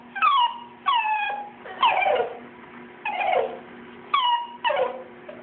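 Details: Two-month-old schnauzer puppies, Bam Bam and T.J., crying while getting baths before their first schnauzer cut; high descending whimpers and yelps come in short bursts about once a second, with a steady low hum underneath.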